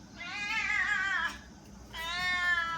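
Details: Female house cat performing her "ghost" meow on request: two long, mournful, harmonic wails, the first falling and wavering, the second steadier, separated by a brief pause, with soft music behind.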